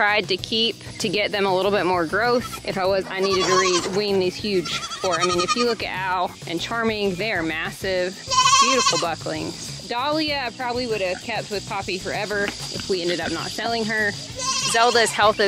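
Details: Several baby goats screaming at weaning time, a dense chorus of overlapping quavering bleats, some high and strained, others lower, calling almost without pause throughout, with occasional human voice mixed in.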